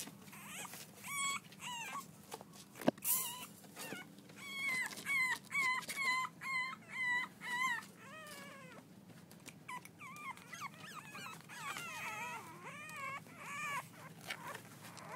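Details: French Bulldog pups, six weeks old, playing together: a run of short harmonic whimpers and yelps, about two per second, some arching up and down, with a single sharp knock near the start.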